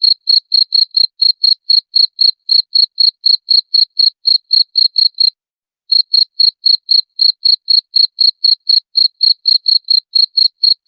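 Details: Rat-repelling cricket chirps: crisp, high-pitched pulses ticking at about four per second, a short gap midway, then the same steady rhythm again. Nothing else audible.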